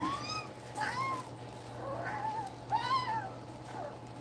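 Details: Two-week-old German Shepherd puppies nursing beside their mother, part of a litter of eight, seven males and one female. About four high, bending whines rise and fall, some with bright overtones, over a steady low indoor hum.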